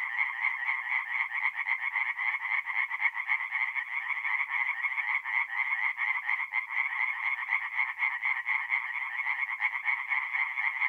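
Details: Forest pond at night in mid-April, north-eastern Italy, filled with singing tree frogs: rapid, steady, nasal croaking from many frogs at once, about four pulses a second, nothing else audible.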